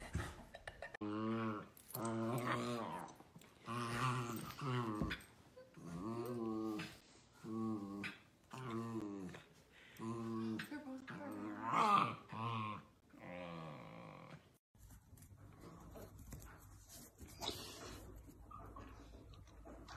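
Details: Dachshund puppies at play make a string of throaty, harmonic growling whines, each about half a second long and repeated roughly once a second, then fading into quiet indoor room noise.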